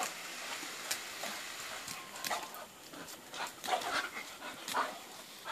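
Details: Soft snuffling from a bulldog, broken by a few brief whining tones near the middle and end, over a quiet background.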